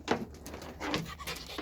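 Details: A puppy playing indoors, breathing in short, noisy, breathy bursts that come unevenly a few times in quick succession, with a quiet room hum behind.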